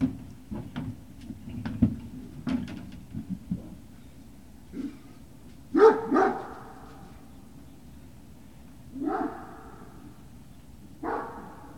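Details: Great Dane puppies at Puppy Hill, recorded 18 November 2018, give short harmonic barks and yips, a pair close together mid-clip and then two more spaced a few seconds apart, over steady low hum and scattered knocks.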